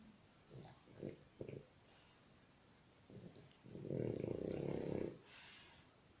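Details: Dog snoring at home, with short low snorts early on, then one long, loud, rasping breath of about a second and a half, followed by a faint hiss.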